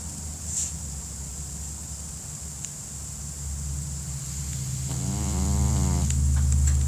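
A Pekingese snores in a deep, rough rumble, slow and steady at first. Near the end the breath turns louder and buzzier, a fluttering nasal drone over a faint background hiss.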